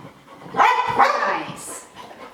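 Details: Sky, a pet dog, bark-whines from fear of missing out while another dog, Gem, does tricks. One drawn-out, harmonic bark breaks into a second, with a trainer's voice giving commands nearby.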